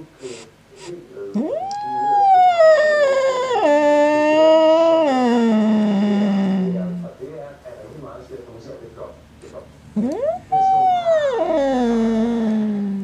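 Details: Male pet cat angered by a black cat resting outside gives two drawn-out yowls, each jumping up sharply then wavering and sinking into a low groan, with quieter rumbling between them.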